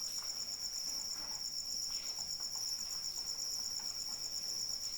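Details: Cricket calling in the rain, a continuous high, steady pulsed trill that rings unbroken through all five seconds over a soft, even hiss of falling rain with scattered light drip patter.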